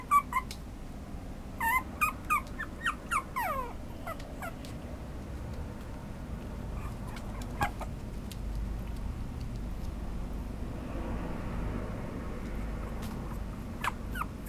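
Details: Chihuahua-Papillon mix dog indoors giving a quick run of high, downward-sliding whining yips in the first four seconds, then a few isolated yips over a steady low background hum.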